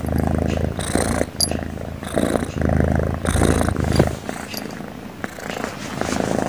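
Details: Sleeping cat snoring over and over; loud, rough, low rumbling strokes in long breath-paced bursts with short quieter gaps between them, steady throughout.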